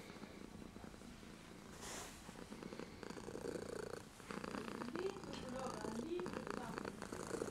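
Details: Kitten filmed with a JVC GZ-MS100 camcorder, front LED on, purring in a steady low rattling rhythm, with a few faint higher squeaks and a person speaking in the background.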